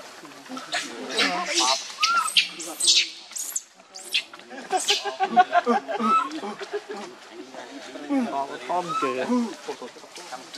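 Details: Baby monkey named Leo, separated from its mother and hungry, crying to beg for milk; a run of loud, harmonic wailing cries with sharp high bursts, pausing briefly near four seconds before the crying resumes and then fades into softer calls.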